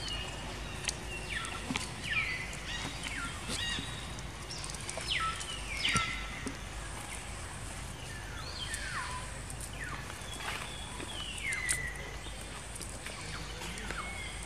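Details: Baby monkey Jinx, a female, cries after being attacked by another monkey named Spring: thin, high, downward-sliding wails come in scattered bursts over steady rustling background noise.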